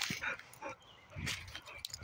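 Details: Boxer dog puppies, twins, playing at a quarry: short high yips and whimpering squeals in quick bursts, with scuffling noises between them.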